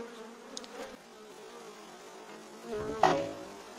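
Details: Bees swarming through a courtyard they have invaded: a steady low buzzing hum with a clear tone and overtone throughout, plus a sharp knock or click near the end.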